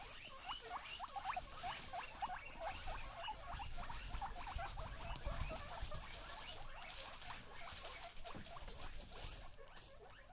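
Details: A group of excited female guinea pigs keep up a long run of quick rising squeals, several per second and overlapping, with rustling and patter throughout and a faint snort.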